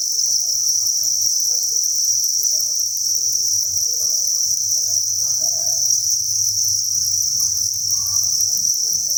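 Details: Inside a cricket farm, masses of crickets produce a constant high, ringing chirp chorus without pause, with soft low hum and faint scattered rustles underneath.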